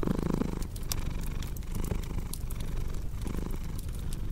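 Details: Cat purring steadily in a low, rumbling drone that swells and fades with each breath, mixed with the pops and snaps of a crackling fireplace.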